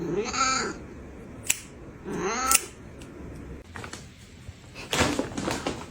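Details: Domestic cat giving two drawn-out, arching meows about two seconds apart, each rising then falling in pitch, followed by a few thumps and rustling in a small indoor room.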